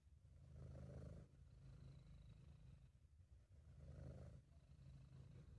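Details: Continuous deep purring from Sabu, a British Shorthair cat, relaxed and happy; a low vibrating rumble rising in two broad swells roughly three seconds apart, following the cat's breathing, amateur recording, quiet background.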